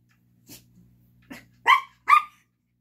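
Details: Yorkshire Terrier puppy playing with a ball indoors alongside a Lhasa Apso. It gives two sharp, high yapping barks close together after a couple of faint soft sounds.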